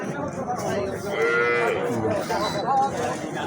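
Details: Local desi cattle at Habiganj cattle market in Bangladesh, where cows and calves are sold. One drawn-out harmonic moo rises and falls midway through, over busy market chatter and men talking nearby.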